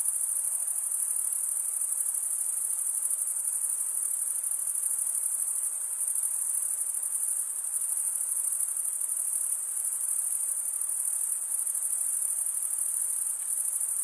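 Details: A steady chorus of crickets stridulating with their wings: a constant, very high, hissing trill with faint rapid pulsing, unchanging over the whole stretch and free of other noise.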